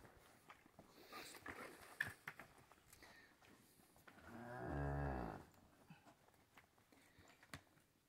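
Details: Dairy cow in a corral on a morning of hand milking, with calves suckling and waiting their turn; cows Chumbada, Renata, Fruteira and Mariposa milked. A single low, harmonic moo swells for about a second midway, amid knocks, scuffles and faint voices.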